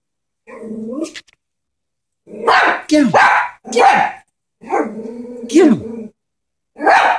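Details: Pet Chihuahua frightened by a stuffed animal horse gives a short whine, then a run of harsh barks and a drawn-out growling bark with a dipping pitch.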